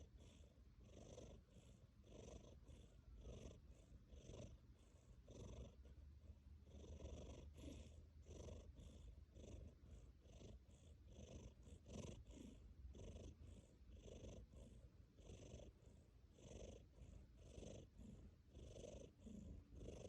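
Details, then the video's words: A tabby cat asleep, purring while it snores, making a dense run of rhythmic pulsed breaths with a breathy rasp, close and even, each cycle under a second long, continuing without pause. "Purring and snoring"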